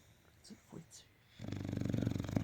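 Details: Olde English Bulldog named Big Mac snoring while asleep, a loud pulsing low rasp in the last second after a quieter stretch with faint sniffs.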